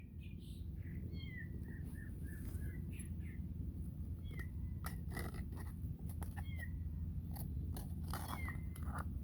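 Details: Domestic cat with her kitten: short, high, thin mews sliding downward, sounding every two seconds or so, with birds chirping and sharp clicks in the background.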